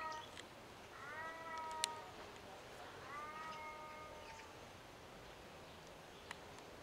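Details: Captive ring-tailed lemurs on the lemur island at Opole Zoo, Poland, give two drawn-out mewing calls, each about a second long, steady then slightly wavering, with faint clicks and low background noise.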